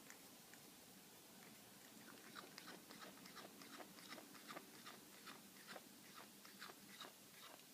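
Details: Male house cat chewing steak given from a person's plate: rapid, uneven wet clicks and crunches, about two or three per second, run through the whole stretch above a constant low hum.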